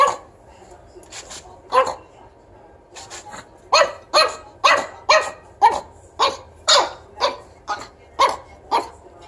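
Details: Zero the pug as a baby puppy scolding his owner: scattered yaps at first, then a steady volley of about ten sharp, high-pitched barks roughly every half second.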